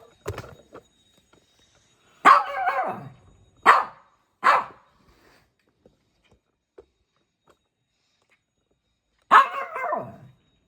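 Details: A small Shih Tzu puppy at play gives sharp, bright barks: a pair close together, another soon after, then a final bark near the end, separated by quiet gaps. A woman speaks Bengali just before and after.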